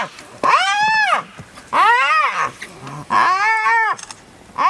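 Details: Young spotted hyena set upon by an adult of the same clan: three long, loud, arched whines, each about a second, rising then dropping in pitch, with little else audible.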